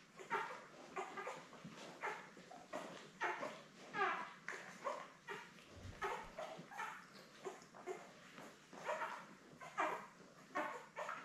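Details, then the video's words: Labrador Retriever puppies, seven newborns born May 24 2021 with their mother Belle, on a live puppy cam; many short squeaky whimpers and yips repeat in uneven bursts, roughly once a second, over a faint steady hiss. "Lab Puppies LIVE STREAM Puppy Cam"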